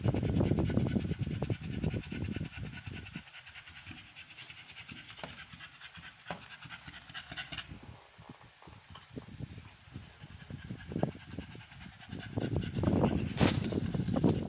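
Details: Amber, a female American Bully in labor on the 56th day of her first pregnancy, pants in quick, rough breaths, loudest at the start and end, with faint background noise between.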